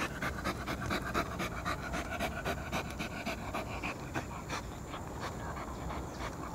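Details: Poodle panting hard and fast, quick breathy huffs at roughly four per second in a steady run, each a soft broadband rasp, against a faint hiss of background noise.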